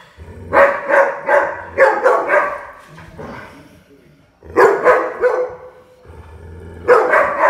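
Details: Playful puppy barking in quick clusters, high yapping barks tumbling out three or four at a time, a pause, then more bursts; a low steady hum runs underneath in places.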